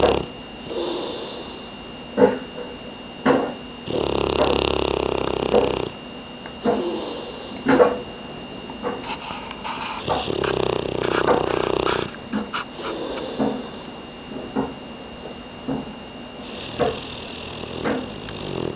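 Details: Dog sleeping on the couch produces two long, raspy snores of about two seconds among irregular sniffs, soft snorts and breathy exhales, with a thin steady electrical whine in the background.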